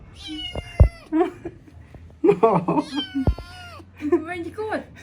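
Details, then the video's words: Domestic kitten playing indoors; several drawn-out, slightly harsh meows, rising then falling, with a woman speaking Khmer over them throughout. "Little kitten playing, video funny cat"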